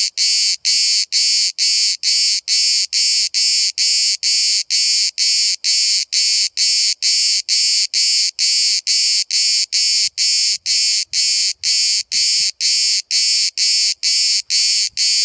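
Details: At Bodrum, Turkey, one cicada sings from just 5 cm away while hundreds call all day; a long, unbroken chain of short grating buzz pulses, steady and rapid at about two per second.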